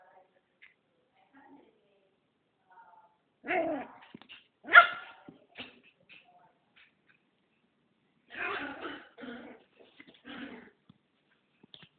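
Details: Female pet dog turning feisty toward another dog, giving sharp broadband barks in two clusters, a pair of loud ones followed after a pause by several rougher, lower barks, with quiet between.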